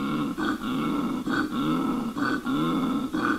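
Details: Koala calling: a deep, rasping, snore-like grunting in steady cycles, each rough harmonic phrase lasting under a second, repeated four times with brief breathy gaps between; nothing else heard.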